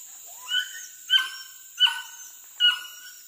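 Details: Village hunting dogs chasing monkeys among trees by a river; four sharp, clear yelps, each dropping quickly in pitch, spaced under a second apart, over a constant high insect hum.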